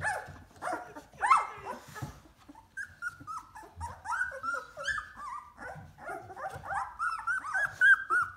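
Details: Two-week-old Golden Retriever puppies, a whole litter moving about on wobbly legs in the whelping box, give high, squeaky whimpers and whines, several overlapping in quick succession.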